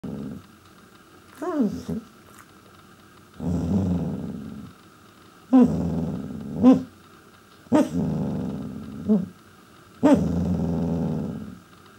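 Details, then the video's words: Pembroke Welsh Corgi indoors trying to get its owners' attention: low rumbling growl-like grumbles broken by short rising yelps and whines, about five bursts with pauses between, steady faint hum in the background. "Talking Corgi"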